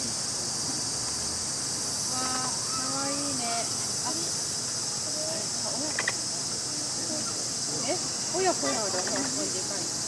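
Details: A capybara parent and young at Tokiwa Zoo, where two were born on July 25, give soft, whining squeaks and short chirps over a steady, loud insect drone.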